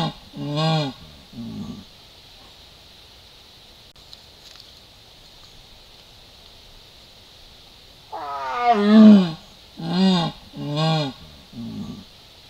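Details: Yaguareté, or jaguar, at Salto Encantado in the Cuña Pirú Valley, roaring at the camera: two short calls, a long quiet gap, then one drawn-out falling roar followed by three short, evenly spaced grunting bursts.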